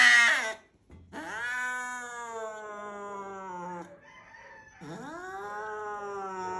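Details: Angry house cat producing long, low, moaning yowls that slide downward then hold steady, two extended wails after a short sharp cry at the start.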